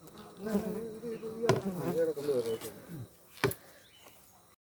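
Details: Honey bees on a Kerala farm in India, heard during honey extraction from the hives: a steady droning buzz with wavering pitch lasts about three seconds, broken by sharp knocks and clicks of handling, then fades.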